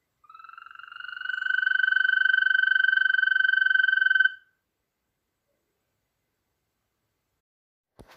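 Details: Loud male European green toad from Poland: a sustained, even, high-pitched rattling trill of about four seconds, quickly rising in volume then cutting off, followed by silence and a brief click.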